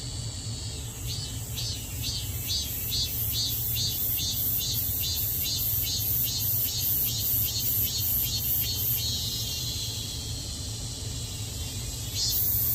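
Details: Cicada recorded at home. A high, buzzy song beats in rapid, even pulses, about two or three a second, for roughly eight seconds, then settles into a continuous shrill hiss. Low traffic rumble runs underneath.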